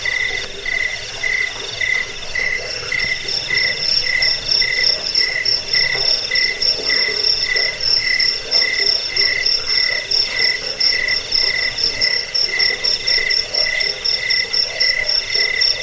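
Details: Cricket chorus used to repel rats, lull listeners to sleep and tutor caged birds: continuous high, shimmering pulsed chirps on two stacked pitches, steady throughout with a rough lower hum in the background.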